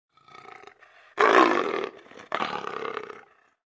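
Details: Lions of a pride of thirteen feeding on a zebra kill while six hyenas keep their distance, 19 July 2015; after a soft rumble, two harsh, rasping bursts of about a second each.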